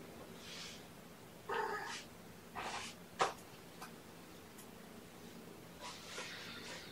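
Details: Domestic kittens indoors at breakfast time on 7 May 2018, part of mother Gamora's litter of five born on April 14th. Faint, brief cat calls come in a few short separate bursts, with a soft snort or purr-like sound between them in a quiet room.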